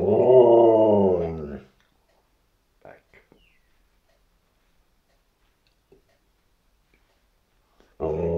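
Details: A border collie at home tries to 'say hello' for a treat, giving a drawn-out, moaning, talk-like howl with rich harmonics for about a second and a half, then silence with faint clicks before another long moan begins.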